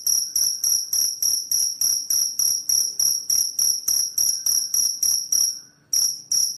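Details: Cricket chirps intended to repel rats: shrill, ringing pulses repeating quickly and evenly, about three and a half per second, then a short silent gap before the chirping resumes.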